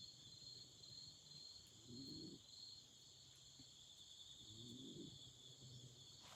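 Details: Autumn insects chirping at night beside a campfire: a steady, unbroken high trill runs throughout with a fainter, even higher band above it, while soft low bursts of crackle rise twice.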